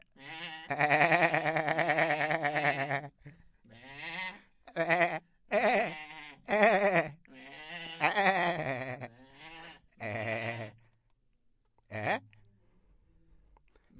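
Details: Goat bleating repeatedly, a call used to reach herd members and announce presence: a long, strongly quavering 'maa' followed by a run of shorter wavering bleats of varying length, some choppy, with gaps between.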